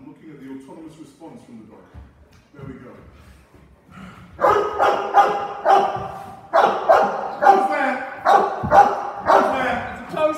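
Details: Cane Corso barking during a home invasion role play as its owner comes home: quiet talk at first, then from about four seconds a run of deep, loud barks repeated roughly twice a second with short gaps.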